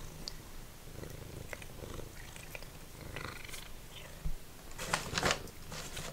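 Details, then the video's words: Formerly feral domestic cat purring while eating dried minnows indoors; a steady low rumbling purr runs throughout, broken by crunchy chewing clicks and a louder burst of crunching near the end. "Cat Purring"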